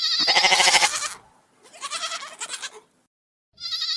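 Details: A goat bleats loudly with a harsh, quavering voice, then again in a broken, wavering cry; goat (Capra hircus).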